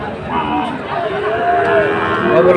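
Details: At a Comilla cattle market in Bangladesh, August 2024, a Sahiwal bull calf gives a short, rising moo that swells toward the close, backed by murmuring buyers and market bustle.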